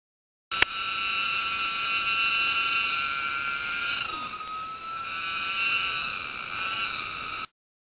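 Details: Cicada whose call resembles a screwy sawmill: a continuous, harsh, metallic buzz with several steady bands, briefly dipping and wavering near the middle before resuming evenly, then cutting off abruptly after about seven seconds.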